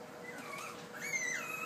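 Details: Puppy whining while learning to use stairs for the first time, two thin high whines, the second sliding down, over a steady hum in a room, with a person's encouraging voice nearby.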